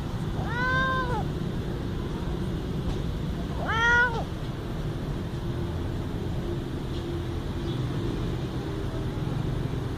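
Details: Little cat giving two clear arched meows a few seconds apart, each rising then falling in pitch with rich harmonics, the second slightly louder, followed by quiet low background rumble.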